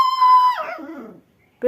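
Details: Angry little puppy in a village gives a loud, high, steady yelp that bends downward and fades after about a second, followed by the start of another sharp cry; faint music heard nearby.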